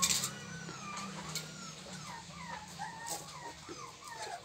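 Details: Pit Bull puppies, 24 days old and still unsteady on their feet, give thin, whistled whines that slide downward, repeated every half second or so over a low steady hum, with a faint clatter at the start.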